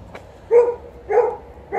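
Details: Dog in a home with an Alaskan malamute and a golden retriever during poplar-fluff time; three quick, mid-pitched complaining woofs spaced roughly half a second apart.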